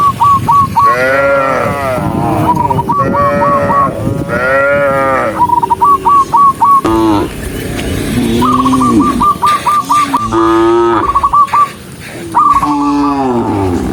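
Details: Tame cattle, dozens in a herd walking on foot, giving repeated deep, drawn-out moos with rich harmonics, some rising then falling, interrupted by bursts of quick, high whistled notes in sets of three to four.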